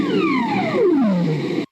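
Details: A ribbon seal in the Arctic Ocean calls underwater, where these seals do most of their talking under the ice; the eerie call sweeps smoothly downward from a high whine to a low moan.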